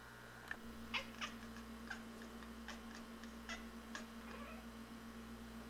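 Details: Feral cats behind a front window chatter at a robin spotted in their yard: quick, irregular clicks and brief chirps, about four per second, faint against a constant low hum.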